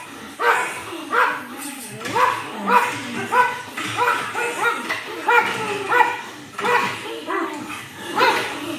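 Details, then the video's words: Pug barking at his own reflection: repeated short, harmonic yapping barks, about one and a half a second, uneven in timing, with whimpering tones between some barks. "Pug Barking at himself"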